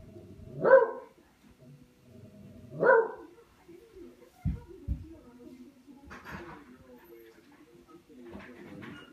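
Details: While playing with a katydid bug, Buster the dog barks twice in quick succession, followed by quieter thumps, scuffling and a couple of faint voice-like sounds.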